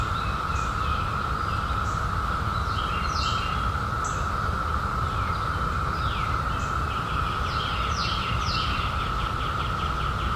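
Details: Unbroken buzzing drone of cicadas at one steady pitch, overlaid by scattered short sweeping bird chirps and a persistent low-frequency rumble.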